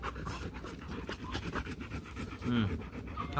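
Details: Show-quality Rottweiler from the Gervi kennel in Vietnam panting in quick, uneven, breathy bursts, with human voices talking over it throughout.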